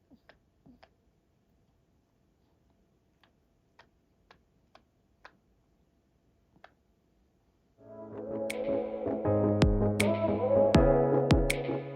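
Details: Sparse soft ticks in near silence give way after eight seconds to steady synthesizer music with a beat.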